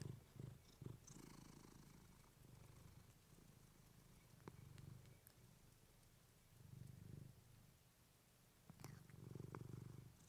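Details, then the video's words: Low, throaty purring from Clementine, a female house cat, picked up on a fluffy mic, pulsing in long rounded swells with quieter gaps, plus scattered light ticks and small rustles. "Cat purring you to sleep with fluffy mic"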